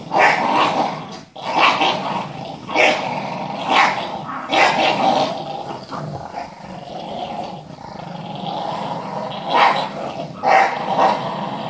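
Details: Two Staffordshire bull terriers and a Parson terrier playing and hunting a ball; rough, raspy growling comes in bursts about once a second, mixed with scuffling.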